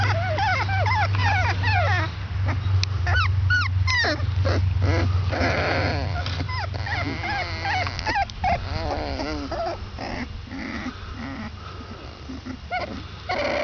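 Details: Basset Hound puppies, 22 days old, whimper and squeal in a busy chorus of high, wavering cries.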